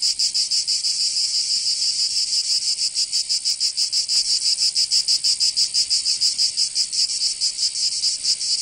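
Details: Cicadas of Provence in the south of France during summer, their high buzzing song rhythmically pulsing, the beats less even here, overlapping callers blurring the rhythm.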